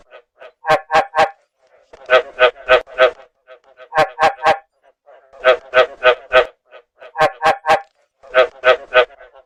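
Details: Rice field frog calling in the rainy breeding season at night, a speaker call used to lure frogs: short bursts of three to five hard croaking notes, repeated about every one and a half seconds against a silent background.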